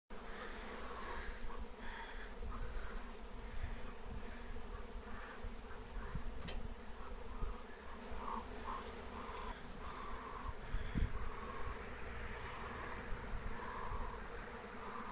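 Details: Wild honeybee swarm in flight, being captured with lemon balm (Melissa plant): a dense, steady low droning hum with layered harmonic tones throughout, plus faint brief chirps in the background.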